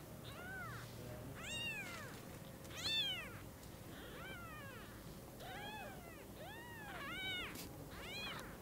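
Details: Newborn kittens, eyes newly opened, seeing their mother cat for the first time: about eight thin, high, arched meows in a loose series, each rising then falling, with a faint steady hum underneath.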